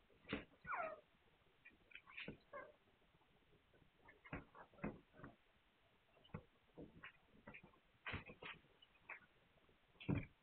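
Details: Hungarian Vizsla puppies recorded 9 March 2021, giving brief high thin squeaks and whines, some sliding up and down in pitch, scattered irregularly with short quiet gaps between bursts.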